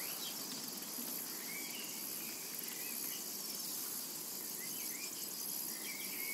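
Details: Cicadas in a summer meadow: a steady, dense high-pitched buzzing drone with a faintly pulsing texture, and thin bird chirps and short whistles scattered underneath.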